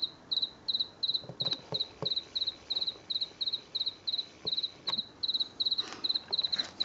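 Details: In a garden on a late September night in 2022, a lone house cricket repeats crisp, high-pitched triple-pulsed chirps in an even rhythm, around two per second. Occasional soft knocks and rustles sound in the background.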